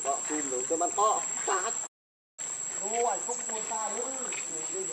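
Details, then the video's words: Monkey Rainbow, very angry while protecting Lucie from Kachoy: rapid harmonic calls, several rising-then-falling arched squeals in quick succession, over a constant high insect drone, with a brief silent break midway. "Rainbow Very Angry To Protect Lucie From Kachoy"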